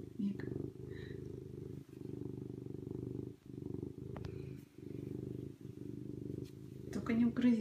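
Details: Serval. A serval gives a deep, continuous purr, rumbling in even pulses of roughly a second as it breathes in and out. A brief human voice breaks in at the very end.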